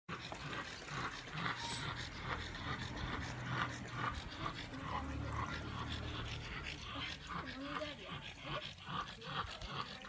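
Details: French Bulldog after a walk on a hot day, panting in rapid, rough breaths about two per second, with low rumbling noise in the background.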